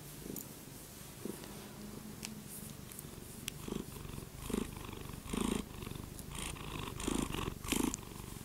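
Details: Pet cat purring indoors, a soft low rumble with rhythmic pulses repeating about every second, some breathy bursts; quiet room.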